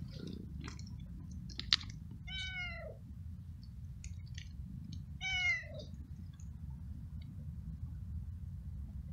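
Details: Hungry stray cat living alone on the street, met while walking in the rain, eating flying ants after some treats; two drawn-out, falling meows a few seconds apart over a steady low rumble.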